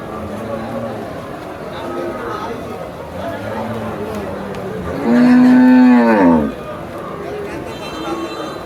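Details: Thousands of cattle gathered at a Saturday market at Sarachar bazaar in heavy rain; after several seconds of crowd chatter and background din, one cow gives a single loud, level moo that falls away at the end.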